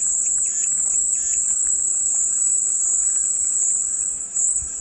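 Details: Constant high-pitched cicada drone forming an even wall of buzzing, with a couple of faint looping chirps early on and quiet ticks underneath.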